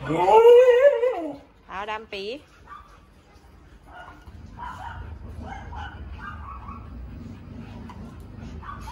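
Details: Siberian Husky given boiled eggs as a treat, eating them shell and all; a wavering, harmonic howl-like vocalization of about a second, then two short yodelling calls, followed by quieter room noise and faint voices.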